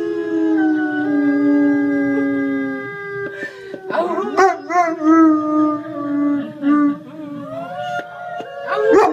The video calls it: German Shepherd howling like wolf.... funny!